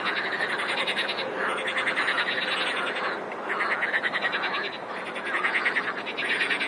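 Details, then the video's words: Chorus of frogs with rapid, throbbing pulsed croaks layered over one another, a short dip in intensity near the middle before the rattling swells again. "Хор лягушек! :) - Chorus of frogs! :)"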